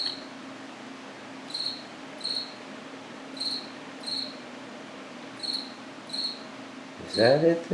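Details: Indoors in an apartment washroom at about 9 pm on 8 September, a cricket gives short, high chirps in pairs, repeated every second or so, over a steady low hum.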